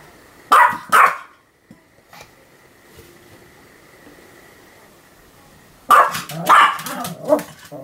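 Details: Pomeranian named Sam, a pet dog, barking on 7 October 2015: two quick pairs of sharp, bright yaps, one near the start and another after a long pause, with a faint steady electrical hum between them.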